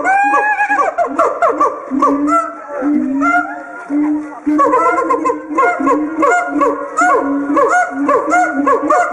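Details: A caged siamang, its inflatable throat sac acting as a resonator, sings loud, harmonic whoops and sharp barks in rapid rhythmic series that swoop up and down, calls serving territory marking and pair bonding.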